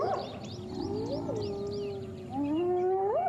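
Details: At sunrise on January 11, a spotted hyena clan attacks one individual, targeting its ears. Long, tonal contact calls slide and rise in pitch during the fight, with faint bird chirps above.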